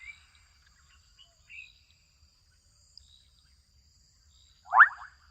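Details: Young frogs in a wetland in Kenya. Quiet stretches with faint high chirps give way to one sharp, rising, rattling call of quick pulses near the close, against a faint, constant high-pitched background tone.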